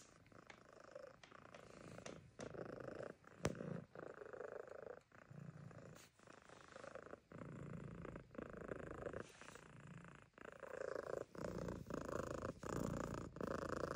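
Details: A Siamese barn cat at a farm animal sanctuary purrs very loudly in a steady, rumbling rhythm.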